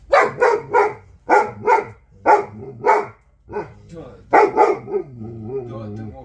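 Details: Central Asian Shepherd Dog, an Alabai named Vasya, barking in quick pairs of loud, hoarse woofs, four doubled bursts with short pauses, ending in a lower whining grumble; people's voices faintly present.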